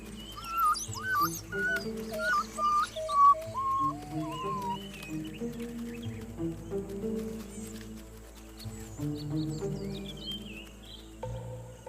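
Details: African wild dog (Lycaon pictus) pups give high, squeaky distress calls over music while struggling to keep up with the moving pack. Adults stop for stragglers, and a nearby cheetah hears the calls.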